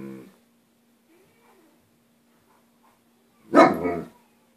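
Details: A German Shepherd of about 13–14 months gives a single loud, deep bark, defending its territory from a girl dropping off the newspaper. It was also growling. Recorded June 28.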